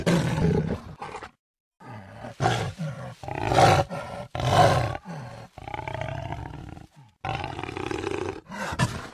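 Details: Roaring jaguar, rough grunting bursts rising and falling in loudness, separated by short pauses, with a deep rumble underneath throughout.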